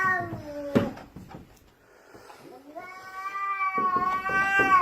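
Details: Indoor house cat on the stairs, blocking its owner's way: a low yowl breaks off amid a man's talking and thumps, then a rising, sustained wail builds louder toward the end.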